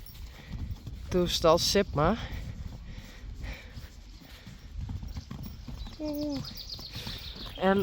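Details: Friesian horse mares and foals out in the pasture before the foal inspection; wavering, falling whinny-like calls in short bursts, with clip-clop of hooves and people talking nearby.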